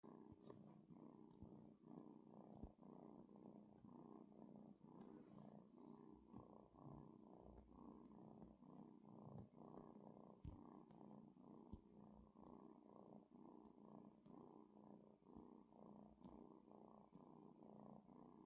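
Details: A kitten kneading purrs in a soft, continuous low rumble that pulses steadily for the whole stretch, quiet and even, with a few faint clicks and no other clear sounds.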